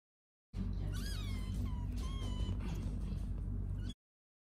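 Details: Kittens playing and sleeping give several short, high meows, each rising then falling, clustered in the first two seconds, over a constant low rumbling background.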